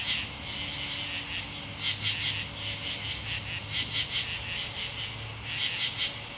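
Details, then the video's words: Katydids calling in Marlborough, Connecticut, August 8, 2011: bright scratchy bursts of two to four quick pulses, groups spaced about a second apart, over continuous high insect buzz and faint low background hum. "Katydid Soundscape - Marlborough, CT Aug 8 2011"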